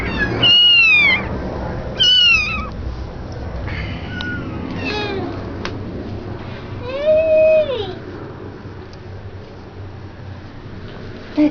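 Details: Indoors, a mother cat with her kittens has been brought into a child's crib. High, wavering meows come in short bursts, followed by a lower, steady drawn-out meow. Quiet room sounds and a voice are also heard.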